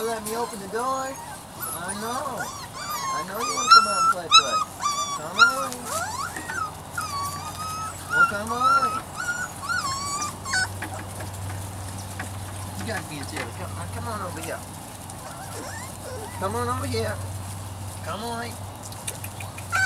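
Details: Weimaraner and Vizsla cross puppies from Biscuit's litter, three to four weeks old, during their discovery stage, give overlapping high whimpers and yips that rise and fall in quick succession, with a steady low hum beneath.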